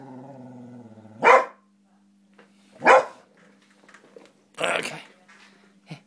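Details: Female springer spaniel named Tara, playing with food, gives a low droning growl-like tone, then three sharp, loud barks spaced about one and a half seconds apart, with a steady low hum underneath.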